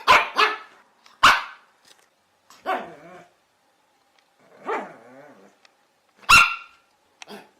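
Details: Chihuahua, a small dog breed, giving sharp, high-pitched barks in irregular bursts, some single and some doubled, with short yappy notes and brief growly tails between them; no other sounds.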